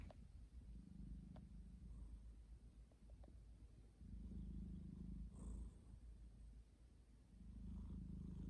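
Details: Soft snoring from a sleeping domestic cat, low rumbling breaths coming in separate stretches with quieter gaps between them.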